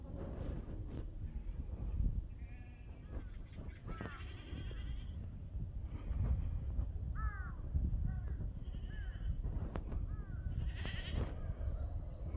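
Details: Black goats on a farm in Gimhae, South Korea, recorded 7 November 2024: several short, wavering bleats scattered through the clip over a constant low rumble of farm noise.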